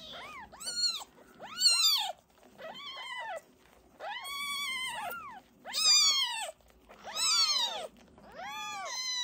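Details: Fostered kitten siblings taken in as an emergency, during toilet training: a series of clear, arched meows, about seven calls, each rising then falling, with rich harmonics and short pauses between.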